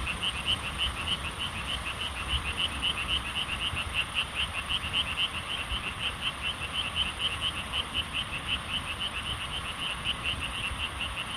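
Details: Korean frog chorus, the kind of calling remembered from childhood: fast, regular trains of high-pitched pulsed notes running without pause over a steady background hiss.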